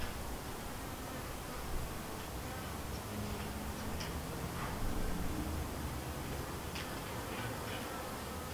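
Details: Honey bees from the White hive, a split from the Yellow hive, buzzing around their hive; a steady low drone hums beneath scattered faint clicks and ticks, with soft broadband background noise.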